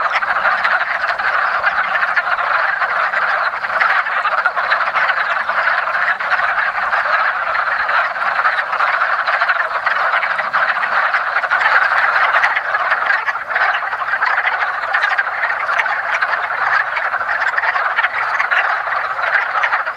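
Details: Many wood frogs mating in a woodland pond in early spring produce a steady, unbroken wall of rapid duck-like clucks, the overlapping calls blending into one loud chorus.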